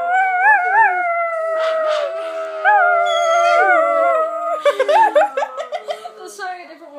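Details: Dogs, including a greyhound, howl in a chorus reacting to a started howl: drawn-out wavering tones layered together, a brief voice audible, then choppy yips and broken howls trailing off.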